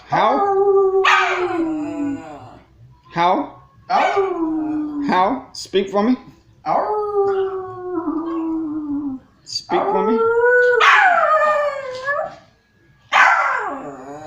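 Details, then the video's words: Pet dog barking and howling on command from its owner indoors: a series of long, wavering, howl-like barks, some sliding downward, with short gaps between them. "the barking dog"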